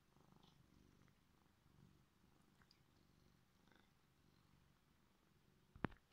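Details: Drowsy pet cat just roused from sleep gives a soft, low, even purr, ending with a sudden sharp knock or bump.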